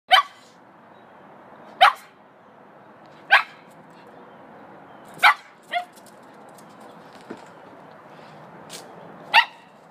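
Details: Pug and Cairn Terrier mix dog barking while out eating grass, giving sharp single barks spaced a second or two apart, six or seven in all, over a quiet outdoor background hiss.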